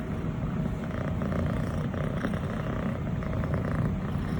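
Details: A six-month-old (180-day) female longhaired brown tabby and white Scottish Fold kitten purrs steadily while being petted, a low continuous rumble with a soft rhythmic pulse.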